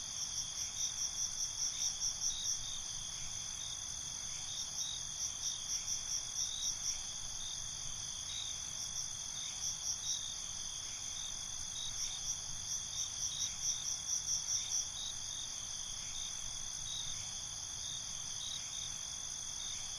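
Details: Crickets at night in a steady high chorus, with bursts of fast pulsed chirps repeating in short trains every few seconds over a constant shrill background hum; no other animals or people heard.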